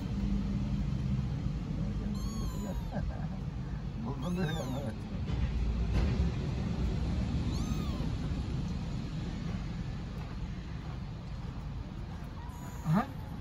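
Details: Homeless kitten on a street in Istanbul cries for its mother: four or five thin, curved meows scattered across the stretch at irregular gaps, with a constant low hum of city traffic beneath.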